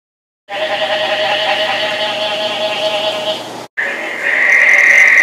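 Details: Frogs in a breeding chorus during the summer rains in Placencia, Belize, some sounding like rubber squeaky toys; a dense continuous layered trilling fills the air, cut by a brief gap, then a louder steady high chorus takes over.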